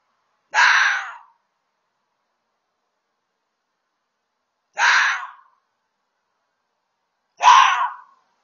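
A red fox gives three harsh, raspy screams, each under a second, separated by long silences.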